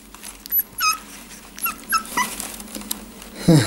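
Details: Four-week-old Jack Russell Terrier puppies, indoors, that began walking four days earlier: a few thin, high whimpering squeaks and short yips at uneven intervals over a steady low hum, ending in a louder scuffling burst.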